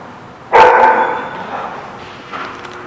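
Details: A dog recorded at The Barking Lot on 20 February 2017 gives a single loud, harsh bark that rings out with a long echoing tail, followed by quieter background murmurs and a faint second sound near the end.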